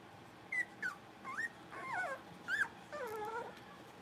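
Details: Playful Blenheim Cavalier King Charles Spaniel puppies from a litter of five in an indoor pen; a quick run of short, high whimpers and yelps, some rising and some falling, about eight in four seconds, ending in a longer, lower whine.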